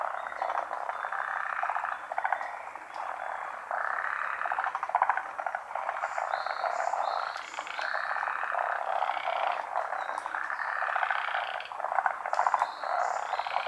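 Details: Many frogs chorusing at a Japanese pond, a steady wall of raspy pulsed croaks rising and falling in waves, with faint higher stepped calls now and then.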